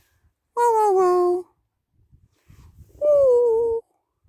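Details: A male German Shepherd gives two short, tuneful howls, each sliding gently downward in pitch, "singing" during play with other dogs.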